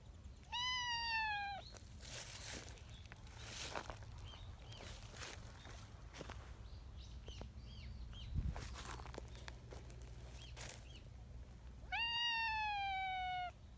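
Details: Affectionate tabby community cat on a bench outdoors makes two long, hoarse, high meows that fall slightly in pitch, one at the start and one near the end. Quiet rustling and tapping fill the gap between them.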